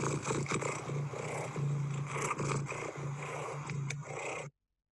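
A domestic cat purrs in a continuous, throbbing low rumble, overlaid with a brighter, more insistent tone. Cats use this solicitation purr when they want something from a person, and it is easier to recognise than a contented purr.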